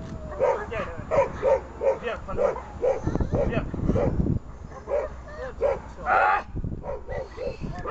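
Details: German Shepherd barking during a protection-service training session on grip placement, December 2018: a steady series of rough, punchy barks, interrupted midway by a person speaking loudly, then resuming.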